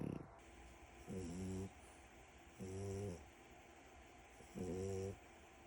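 A French Bulldog puppy snores in low, rumbling breaths, each lasting about half a second.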